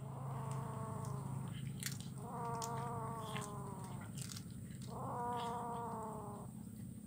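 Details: Kitten eating fish bones in Kuala Kapuas, Central Kalimantan, Indonesia, recorded Wednesday 17 July 2019: three long, steady, nasal meows of about a second each, separated by short pauses, over a constant low hum and faint clicks.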